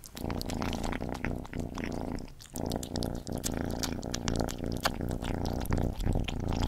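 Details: Gordy, a pet cat, eating at close range: dense crunchy chewing clicks and wet smacking over a steady low rumbling hum, with one short pause midway.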